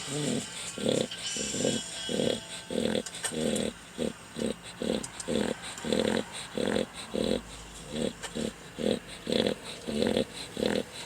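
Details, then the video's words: A dog snoring very loudly: steady, rumbling rasps repeated roughly every half second, each short and throaty, in a long unbroken rhythm with faint background noise. "dog snoring so loud"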